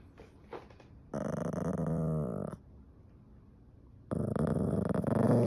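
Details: A slightly annoyed Yorkshire Terrier gives two low, rumbling growls separated by a short pause.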